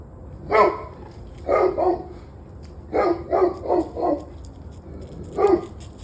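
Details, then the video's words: Dog barking in the evening, loud, full barks in doubles and a run of four, then a final single bark, with a faint background hum. "26 Minutes of Barking Dogs"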